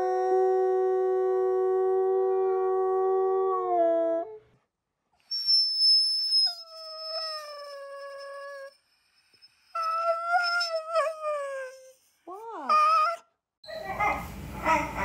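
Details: Husky howling in several bouts: a long level howl that fades, then higher thin notes, wavering yodel-like whines and quick downward yips, ending with a burst of noise.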